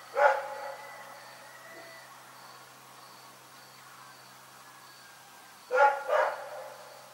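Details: Night barking from Rex, a dog: one loud bark at the start, several seconds of near silence with a faint regular ticking, then a close pair of barks.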